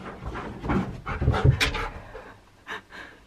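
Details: Siberian Husky named Key during a burst of indoor zoomies, heavy rapid panting breaths in uneven bursts with scuffling movement, then quieter panting toward the end.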